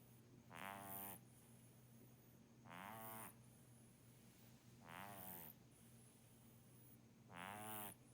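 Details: Kitten named Muff, a pet cat known for heavy snoring, sleeping and snoring like an old man: four rasping, rattling breaths spaced about two seconds apart, each a buzzy burst separated by quiet gaps, with a steady low hum underneath.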